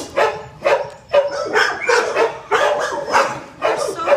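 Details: Schnauzer/terrier puppies, sisters, gray and white, overdue for adoption: loud, harmonic barks and yips repeating roughly once a second in uneven bursts, with a person's voice mixed in.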